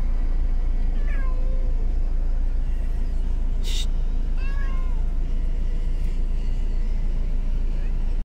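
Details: A domestic cat riding in a car, with a cat carrier mentioned, gives two drawn-out, falling meows over a steady low road rumble, 23 July 2021.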